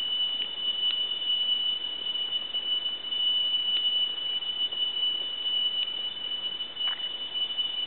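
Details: In dense forest, a tree cricket's steady, high, pure trill, likened to a temple bell, runs unbroken with a few faint clicks behind it.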